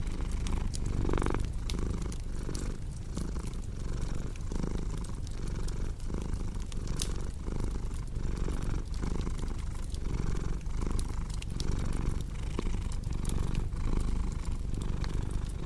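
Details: Steady, deep purring from a cat, a rolling low vibration with rhythmic breath swells and one brief higher murmur early on, set against crisp pops and crackles of a fireplace.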